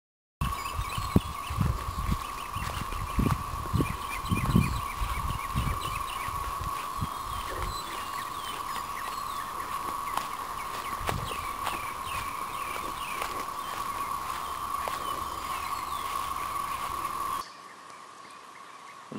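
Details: Masses of newly emerging 13-year red-eyed periodical cicadas in Dalton, Georgia, are everywhere, their chorus a steady droning hum that holds unbroken while birds chirp above it.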